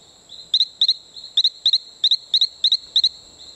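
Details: Male Allobates talamancae from Isla Colon in Bocas del Toro, Panama: a regular run of eight sharp double chirps, roughly three per second, loud and high over a constant shrill insect background.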